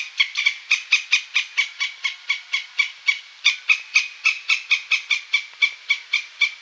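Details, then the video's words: Squirrel calling in a quick, even train of harsh, broad chuck notes, roughly four per second and sustained without pause; no other sounds stand out. "Squirrel sound"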